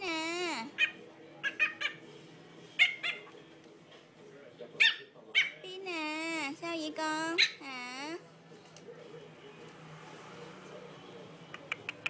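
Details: Indoors, a 58-day-old Chihuahua puppy gives several drawn-out wavering whines and short yelps in bursts, with a person speaking between them, then quieter background.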